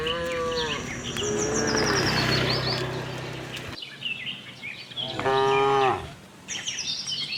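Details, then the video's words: Tame cattle herd roaming a farm looking for grass: a harmonic moo at the start and another near the middle, a shorter low moo later, with busy chirping birds in the background throughout. "cute tame herd of cows - looking for grass, cow mooing sound"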